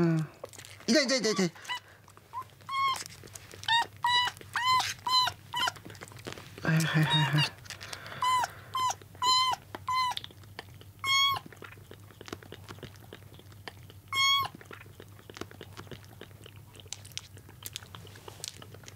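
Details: Rescued kittens, found soaking wet on a road, on their second day in care, indoors competing for milk: high, thin meows repeated rapidly in bursts, with a woman's soft apologetic voice early on and feeding noises between calls.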